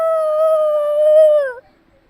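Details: Kuromi, a black Shiba Inu, howls at a chime on 22 March 2024; one sustained, clear, level tonal note lasting about a second and a half, dipping downward at the end before fading into silence.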